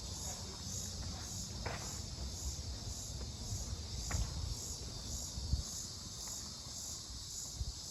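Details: Insects heard in Mankato, Minnesota, on 18 July 2025, thought possibly to be cicadas: continuous high pulsing buzz throughout, with a few sharp clicks, footsteps and low-frequency rumble.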